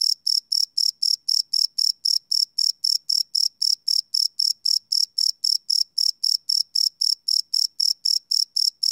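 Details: Crickets chirping after dark, recorded live with a Sony PCM D100: steady rows of shrill, high pulses, roughly four a second, clean and uninterrupted.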